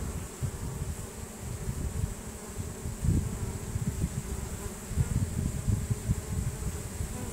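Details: Swarm of honey bees marching into their new home after scenting it, with Nasanov pheromone signalling the others; a dense, continuous droning buzz that swells and fades slightly, over a low rumble.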